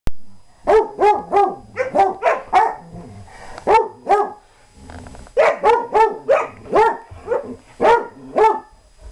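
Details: German Shorthaired Pointer barking while playing and chasing around with another dog; repeated short harmonic barks in quick bursts, about two per second, with brief pauses between runs.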